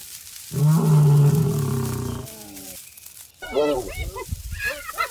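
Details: Lionesses attacking a herd of warthogs on wet grass in wild Africa; a deep, sustained roar of about one and a half seconds, followed after a pause by higher harsh, wavering growls and snarls.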